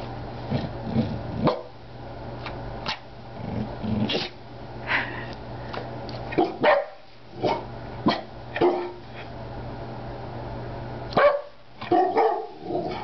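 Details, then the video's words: Peanut, a Rat Terrier, barking on the "Speak" command indoors, with a big black dog also present; sharp barks come singly and in short bursts across the recording, separated by pauses, over a low steady hum. "Rat Terrier barking"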